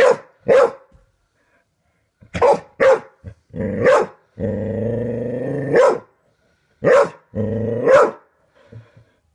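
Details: A dog indoors reacts to a doorstop flicked repeatedly by a man, giving sharp barks mixed with a long, droning growl-whine held over a second, then more barks in pairs.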